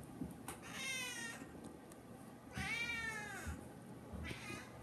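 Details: Hungry pet cat meowing indoors, two long meows about two seconds apart, the second rising then falling, followed by a shorter faint meow; low room hum beneath.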